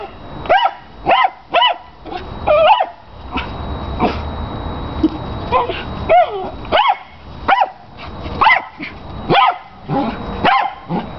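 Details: Piercing, high barks from a ball-obsessed house dog playing with his large tennis ball, coming in quick bursts of two or three with short gaps, plus background scuffling from a chihuahua doing zoomies.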